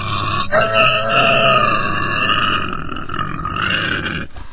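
A pig squeals loudly in a long, harsh, wavering cry with grunting undertones.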